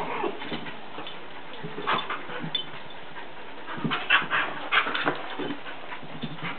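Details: Pet dogs Sadie and Charlie, the latter a Jack Russell terrier, romping together; scattered whines and throaty growls, sparse at first, then bunching into quicker excited bursts toward the end, above soft steady hiss.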